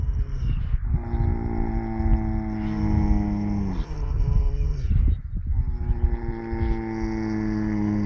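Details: Sleeping horse snores loudly with long, groaning, tonal breaths. Each breath lasts two to three seconds and sags in pitch toward its end, with short rasping pauses between breaths.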